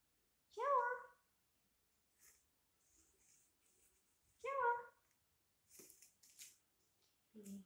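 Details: Domestic cat indoors on a hot summer night: two drawn-out, tonal meows, each about half a second, arching in pitch and spaced roughly four seconds apart, with faint rustles and soft clicks in between.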